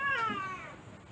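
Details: Female Siamese cat meowing indoors while her claws are being cut: one short, falling, whiny meow that fades quickly, with a faint steady hum behind it.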